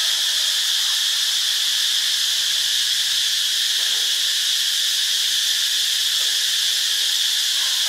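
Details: Cicadas in Ubon Ratchathani, Thailand, producing a continuous shrill hissing buzz that fills the upper range evenly from start to end, steady in loudness, with faint low background murmur beneath.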